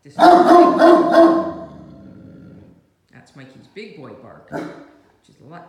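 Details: Great Danes Mikey, a 7-month-old male puppy of 110 lbs, and his older sister Ellie playing with toys indoors; three loud, deep, harmonic barks in quick succession open the clip, then softer grumbling vocal sounds and a human voice.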